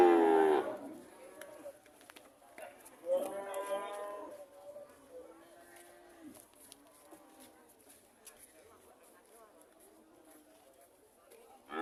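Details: Cows mooing: a loud, harmonic moo opens the recording, followed by a second, softer drawn-out moo about three seconds later, then quieter low calls fading over a faint background.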